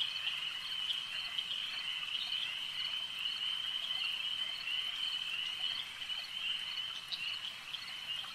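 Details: Frogs calling at a lake, a dense, unbroken chorus of high, shrill trilling that holds steady throughout with many overlapping voices and no other clear sounds.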